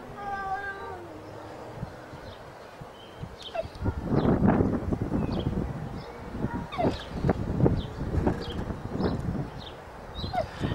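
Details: Cats meowing before fighting: a long, drawn-out, harmonic meow opens, then loud, noisy scuffling and bursts of rough, shorter yowls follow in irregular quick succession.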